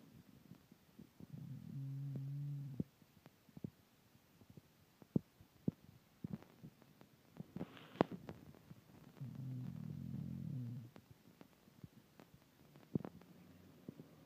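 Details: Hank, an English Bulldog, snoring: low, buzzy, rattling snores lasting about a second and a half each, two clear ones spaced about eight seconds apart, with scattered soft clicks and thumps in the quiet between.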